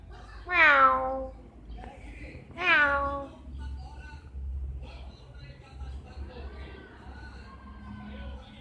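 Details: Two cats together, described as being romantic, with two loud drawn-out meows that fall in pitch, about two seconds apart, followed by softer wavering cat calls and low background talk.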